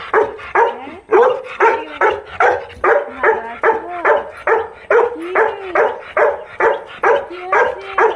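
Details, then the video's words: Labrador Retriever greeting someone who has just come home, giving a fast run of sharp, excited barks about twice per second, some ending in short whiny yelps, with almost no pause between them. "বাড়ির আসার পর বোঝো রিএকশন দেখো তোমরা সবাই"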